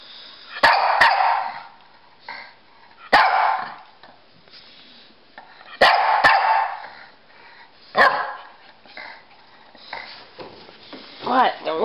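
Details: Pekingese Rocky and Bulldog Bully playing chase together; loud barks come in bursts every two to three seconds, with rustling and panting between them.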